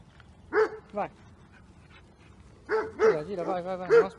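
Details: Overexcited, dominant two-year-old intact AmStaff being trained in Milan: two isolated barks, a quiet gap, then a closer cluster of barks mixed with a drawn-out wavering whine-like note.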